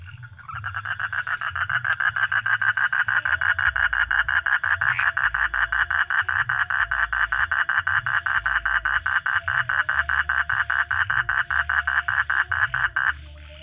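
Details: Frog calling at night, a loud, fast, steady series of raspy pulses, about five each second, running without a break for roughly twelve seconds over a low background hum.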